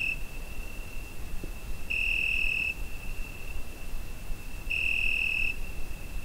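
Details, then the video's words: On a summer night, a cricket recorded with a Zoom H5 holds an unbroken high tonal trill, rising into two loud bursts of about a second, nearly three seconds apart, with a faint tick early on. "Summer Night Cricket Sound Effect"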